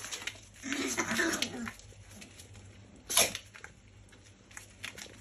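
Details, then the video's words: Chihuahua puppy playing with its mother dog: a rough, low growling sound lasting about a second, followed by a sharp snort-like burst and light scuffling noises. "Chihuahua playing with mamadog"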